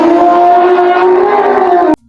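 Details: Elephant; trumpet; expressing excitement or alerting the herd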